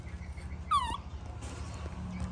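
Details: Baby monkey throwing a tantrum as its mother leaves: one sharp, high, descending squeal with rich overtones, under half a second long, over a steady low hum.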